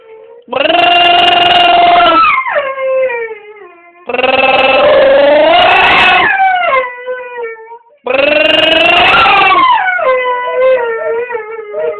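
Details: Pet dog making a funny noise indoors: three long, loud howling cries of about two seconds each, separated by short pauses, with strong wavering harmonics and sliding pitch at the ends, in a small room.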